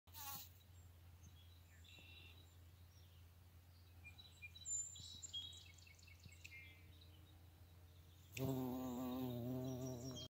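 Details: Bombus griseocollis, recorded 21 June 2020: a low steady buzz runs throughout, then swells into a loud, rich harmonic drone over the last two seconds. Scattered bird chirps and whistles sound in the background.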